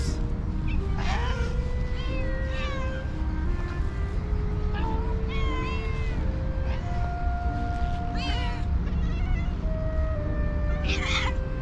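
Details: A group of hungry cats and cute kittens gather around a person and meow for food; short arching meows come every second or two, some overlapping, above steady music tones and a heavy low background hum.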